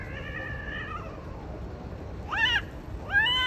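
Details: Siamese cats mating with an Arabian cat: a long, wavering yowl held for about a second, then two shorter rising-falling cries, over a steady low background hiss.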